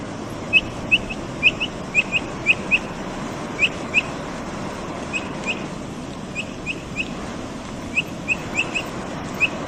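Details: Brazilian capybara eating and making noise, giving short, sharp, high upswept chirps in loose runs of two to four, roughly twice a second with brief pauses, over a steady broadband hiss.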